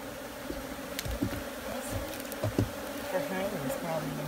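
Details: Steady hum of many honey bees, a low even drone holding one pitch, broken by a few thumps and short bursts of voices.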